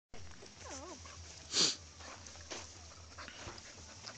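A Bull Terrier gives a brief wavering whine, then one sharp, loud bark.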